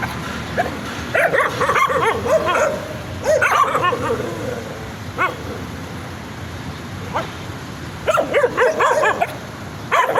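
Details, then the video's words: Excited puppies barking enthusiastically, several short yappy barks in bursts with pauses between, some higher-pitched yips mixed in, over a steady background hiss. "The sound of puppies barking excitedly"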